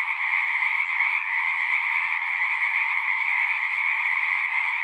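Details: Chorus of singing frogs: countless overlapping callers form a continuous, shimmering wall of trills, steady in loudness and pitch throughout, with a brighter upper band over a lower one and nothing else audible.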